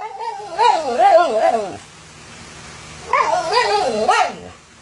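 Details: Indignant Siberian Husky berating the owner who ate its treats, with two warbling, undulating howl-talk phrases, each almost two seconds long, separated by a quiet pause.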